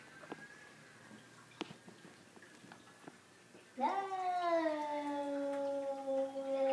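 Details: Two Savannah cats indoors meeting an unwanted visitor: after quiet room noise with a few clicks, one long drawn-out harmonic yowl starts abruptly near the fourth second, dips slightly in pitch, then holds steady for about three seconds.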